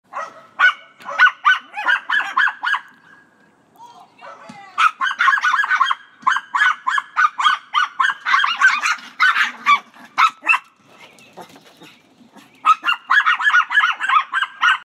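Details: Several Chihuahuas barking: rapid, high-pitched yaps in dense runs of several per second, with short lulls near four and twelve seconds before the yapping resumes.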